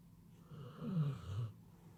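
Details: Maxie D, a pet dog, snores indoors in a small room: one low, rasping, drawn-out breath that swells and then fades over about a second, with quiet room hum before and after.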